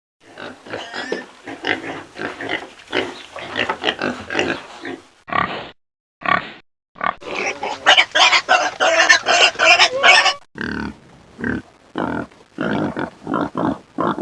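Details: Pigs fighting, with harsh, piercing squeals and screams in rapid, overlapping bursts.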